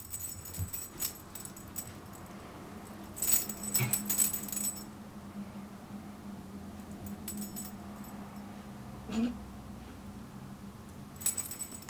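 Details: A dachshund holds a low, continuous growl for several seconds, reacting to the squeaky sound of air let out of a balloon, which he dislikes; short, sharp squeaking and rattling bursts break in near the start and end.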